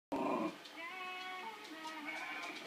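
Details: A dog reacts to a TV advert showing a sheepdog with one loud, harsh bark, followed by sustained tonal sounds, possibly a whine or television audio.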